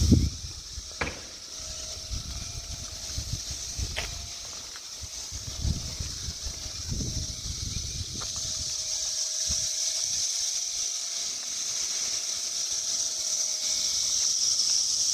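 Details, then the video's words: A dense chorus of periodical cicadas, filmed during the Brood X emergence in Towson, Maryland on 22 May 2021, fills the air with a steady, high, hissing drone. "Cicada Chorus in Towson, MD"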